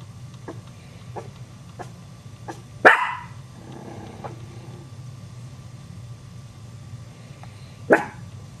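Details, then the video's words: Barking dog that frightens young Chihuahua puppies: two loud, explosive barks about five seconds apart, with a series of soft, short yips and clicks in between over a constant low background hum. "Chihuahua puppies get scared of dog's barking"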